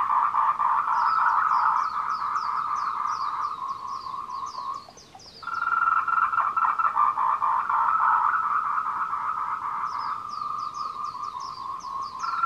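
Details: Tree frogs calling in courtship on the Meiling Wulong trail, Nanxi, Tainan, Taiwan, 26 April 2018 at 14:00, recorded on a Canon PowerShot SX720HS: a dense, rapid pulsing croaking chorus, with a brief lull midway and a higher chirping series above it.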